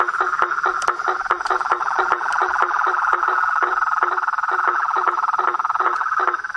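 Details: Natural chorus of frogs and treefrogs: a continuous high-pitched trill with overlapping lower pulsed notes in loose repetition, plus a few sharp higher clicks.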